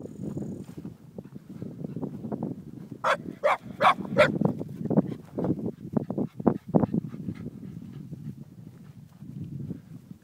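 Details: Eight-month-old Shiba Inu named Sake discovering cows for the first time in the Pyrenees; a quick burst of four sharp barks midway, amid low rustling, thudding and murmuring background noise.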